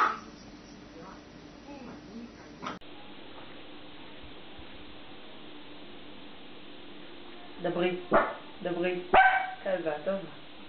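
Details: Dog barking in a funny compilation: a long quiet stretch with faint hum, then a rapid burst of short, yelping barks crowded into the last three seconds.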